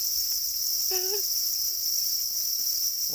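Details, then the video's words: Black crickets calling angrily over their eggs: steady high shrill ringing fills the brief moment, broken by one short lower tonal harmonic note near the middle. "Black crickets or para crickets are crying angrily for their eggs"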